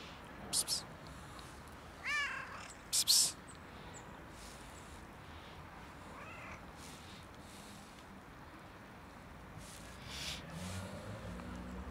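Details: A cat left outside in freezing winter cold, struggling for warmth and food, gives two drawn-out wavering meows several seconds apart, with short sharp noise bursts and a steady outdoor background hiss.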